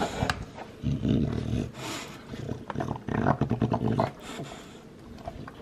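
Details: A two-year-old male lilac tri Olde English Bulldogge in the USA gnaws noisily on a bone, with low rumbling grumbles between sharp crunching clicks.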